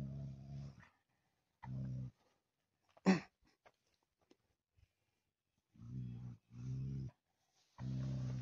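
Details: Daniu, a Tibetan Mastiff living at a mine, switches into hunting mode, its voice said to sound like a lion. Deep rumbling growls come in five bursts of roughly half a second to a second, separated by pauses, with one sharp thump midway.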